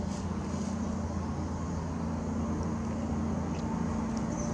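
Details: Steady low traffic rumble with a faint engine hum and no clear animal calls.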